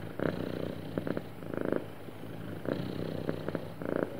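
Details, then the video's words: A contented, happy cat gives a soft, continuous low purr, rising into short louder bursts on each breath, alternating with quieter stretches in a still room. "Happy Cat Purring Smoothly"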